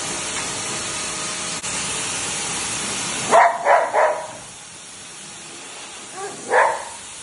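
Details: Golden retriever barking during grooming, disliking the blow drying: a steady blow-dryer hiss fills the first three seconds, then stops before a quick run of three sharp barks and one more bark about two seconds later.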